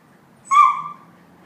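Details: Laika, a pet dog indignant that Phoebe holds her favourite toy, gives one short, drawn-out, whiny bark with a slightly falling tone, alone in a quiet room.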